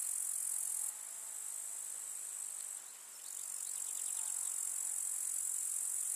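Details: Grasshoppers fill a summer meadow with wildflowers in the countryside with a steady, high-pitched sizzling buzz of chirring and crackling.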